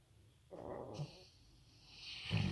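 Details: A Rottweiler sleeping peacefully indoors gives a soft, rasping snore over a low rumble of breathing, loud enough to make the floor vibrate.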